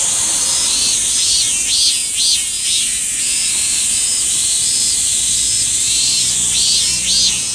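Min-min cicada song, sped up to double speed: a shrill buzz with rising-falling pulses about twice a second.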